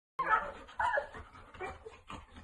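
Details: Dog giving a series of short whiny, nasal whimpers and yips in quick succession, each rising then falling, with no other sounds.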